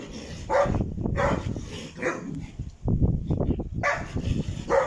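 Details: Deep, resonant barks from a dog at a kennel raising Caucasian shepherd dogs, Alabai and Tibetan mastiffs, coming in short clustered volleys with brief pauses, with a person's raised voice in between.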